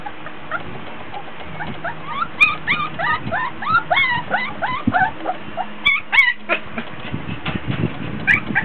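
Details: Several 24-day-old Border Collie puppies, fussy because hot and tired, playing with toys in a whelping box indoors: rapid high whines and yelps, many rising squeaky notes overlapping in quick bursts, with rustling and handling noise.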